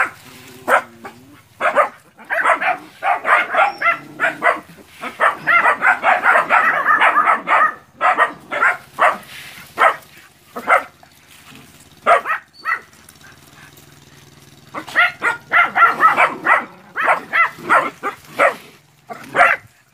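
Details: Group of nine puppies holding off a large water buffalo during training in Porbi Sumbar, Indonesia: long outbursts of dense, excited yapping barks from several dogs, easing into sparser single barks between bursts.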